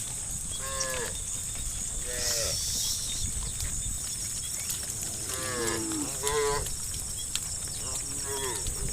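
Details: Angry tame cows in a herd walking toward muddy rice fields in the morning give about six short, nasal moos spread across the clip, some overlapping, with a steady high insect-like hiss throughout.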